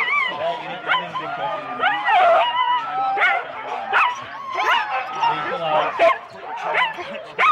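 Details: At Rendlesham in January 2016, four-dog Husky teams at the start give rising, looping whines and short yips in quick bursts, with barks and human voices audible behind.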